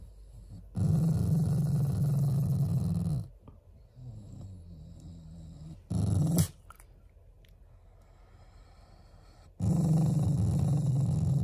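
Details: Affectionate Shiba Inu, a family pet, growls not in anger: low rumbling bursts lasting two to three seconds, separated by quieter pauses with a brief sharp sound near six seconds.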